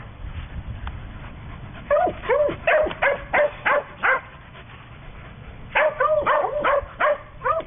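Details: Small playful adopted female dog, about a quarter chow mixed with a smaller breed, perhaps sheltie, gives quick high yappy barks in bursts of four to six, each a short rising-falling yip, with pauses between bursts over low background hum.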